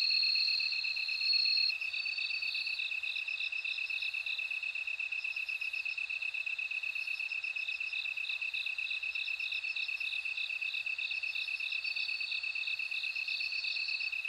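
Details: Bell cricket song, a high ringing tinkle broken into quick bead-like pulses. It rises and falls among other crickets, over a steady lower pulsed drone that runs throughout.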